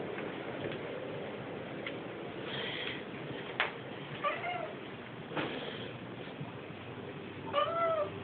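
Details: Mr Beanz, a pet Siamese cat, howling and wailing at midnight to demand food; a few faint, short meows with rising-falling tone rise above a steady indoor hiss, spaced a few seconds apart.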